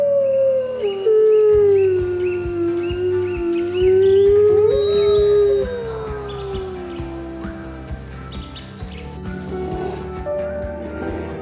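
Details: A wolf's long, drawn-out howl that starts high, sinks slowly, briefly lifts, then falls again. A second, fainter howl follows, all over soft background music.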